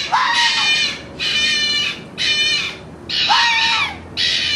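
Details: Fox calling in the mating season: loud, hoarse, drawn-out screams repeated about once a second, each a rough, noisy cry lasting most of a second.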